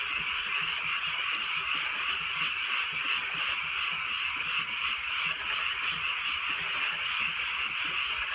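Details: Countryside frogs on a night of light, drizzling rain: countless callers blend into a continuous, pulsing high trill that never pauses, with a faint patter of rain underneath.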